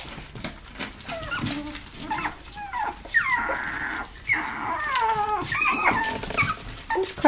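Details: Toy poodles and Pomapoos playing in an indoor living-room play area, recorded 11/9/07, give high, thin whines that slide downward in drawn-out harmonic sweeps, several overlapping, with short yelps and a brief human voice.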